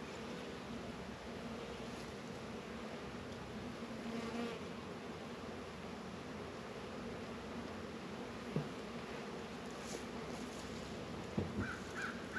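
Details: Honey bees busy around Warre and Langstroth hives in an apiary in northern Kentucky on a warm 72-degree winter day in February. A continuous droning hum with a faint higher overtone runs throughout, with occasional knocks near the end.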